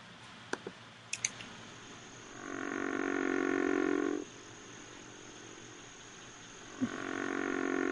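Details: A river frog, a large frog, gives a very low call of long, rasping snores, each lasting about two seconds.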